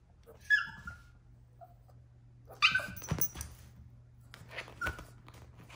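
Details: Troy, a Yorkshire Terrier puppy throwing a tantrum, lets out high whiny yips and a loud sharp bark, followed by scuffling and rustling noises, with a low hum in the background indoors.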